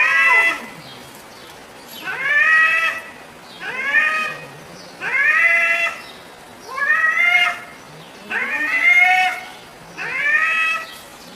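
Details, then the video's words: Domestic cat meowing while funny sounds are played to it: a rising-falling meow with bright overtones repeated about every one and a half seconds, seven times, over a steady hiss. "Cats talking"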